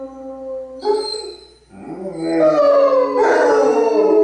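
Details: Basset Hounds Radar and Otter and Bloodhound Jefro howling in harmony; a soft steady tone fades to a brief lull, then louder wavering howls rise and overlap, swelling toward the end over a faint low hum.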